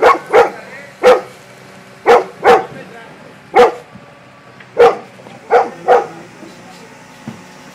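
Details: A Golden Retriever barks at an excavator in loud, irregular bursts, often in quick pairs.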